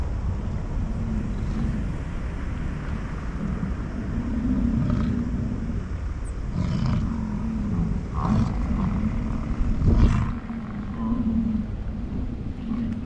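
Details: American bison during the rut on a morning in the Grand Teton, Jackson Hole and Yellowstone area, amid chasing and fighting, give deep, rumbling roars that swell and fade over a low, steady background rumble.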